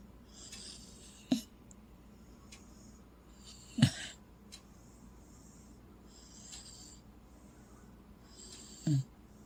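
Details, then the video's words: A male Corgi asleep and snoring, snuggled inside a blanket propped up on a couch in a dark room; three short, low, rasping snorts arrive at irregular intervals of a few seconds against a quiet indoor background. "Snoring Corgi"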